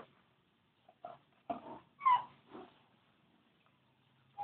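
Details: Newborn Labrador Retriever puppies from a litter of thirteen, short squeaky whimpers and mewing cries in scattered bursts, one rising squeal standing out, indoors and otherwise quiet.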